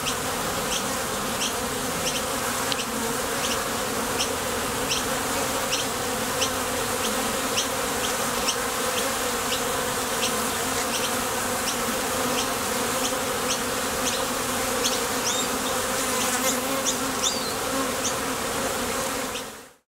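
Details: Honey bees buzzing at a Top Bar Hive entrance as they come and go for nectar, with the sound produced by their thoracic muscles. A full, unbroken hum with frequent faint ticks that stops abruptly at the end.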